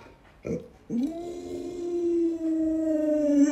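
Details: Pet Alaskan Malamute Luoluo, grandma's favourite, gives a short yelp, then a sustained howl. The steady tone holds for well over two seconds with only a slight wobble, recorded indoors.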